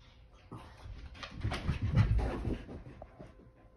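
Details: Boston Terrier wriggling playfully indoors, breathing in quick, rough, breathy pants that build for about two seconds and then fade, with faint rustling of movement.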